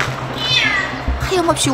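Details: Domestic cat stranded under a 10 m high bridge for five days, walking on the dangerous structure and crying for help; a drawn-out falling meow, then shorter wavering cries, over background music and voices.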